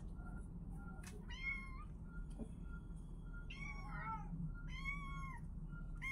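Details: Kittens crying out in short, high, arched meows, roughly one every second or two, some doubled, with a low background hum throughout.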